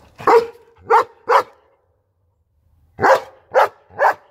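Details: Deep barks from a German Shepherd come in two sets of three, each bark sharp and evenly spaced. A silent pause of more than a second separates the sets, with no other sounds.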